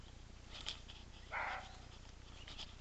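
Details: A single short, rough bark from a roe deer, sitting in the middle of faint hiss and a low steady hum, with a few soft ticking noises around it.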